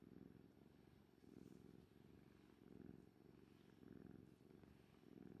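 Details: Orange tabby house cat purring steadily and deeply, the low rumble swelling and easing in a slow breathing rhythm about once every second and a quarter, with an owner's stomach rumbling after a meal possibly mixed in.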